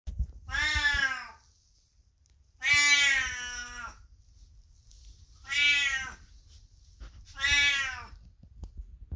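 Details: Elderly 22-year-old domestic cat indoors, calling loudly from the next room as its owner passes, with no particular need; four long, harmonic meows, each about a second, spaced roughly two seconds apart in a quiet room.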